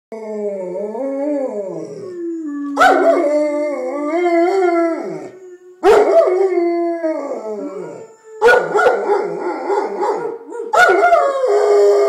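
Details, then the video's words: Pet puppy coaxed by its owner into a long howling session. Drawn-out, wavering howls rise and fall in pitch, with several rich, harmonic phrases breaking in about every three seconds. "Howling Hale the Puppy"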